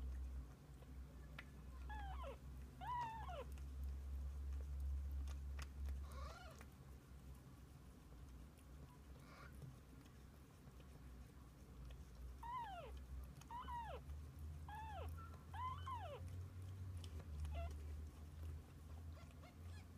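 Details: Kittens and mother cat sharing the day: scattered short meows, a pair early, one mid-way, then a quick cluster of four falling mews in succession, with steady low-frequency hum and light clicks beneath.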